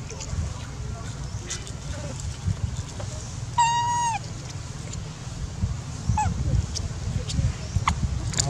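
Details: Feeding baby monkeys, with Dodo screaming to request food: one clear, slightly falling tonal cry rich in overtones midway, a fainter short call after, amid low rumbling noise and scattered clicks.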